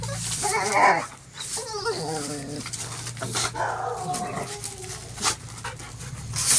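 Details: Border Collie taking on a broom: bouncing, whiny growls and yelps in short bursts, mixed with scuffling and brushing sounds and a constant low hum.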